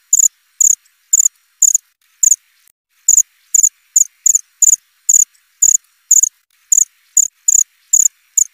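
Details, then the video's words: Steady krik-krik of a cricket: sharp, very high, buzzy chirps about twice a second, spaced somewhat irregularly with a short gap midway, against a quiet, clean background. "Suara jangkrik krik.. krik.."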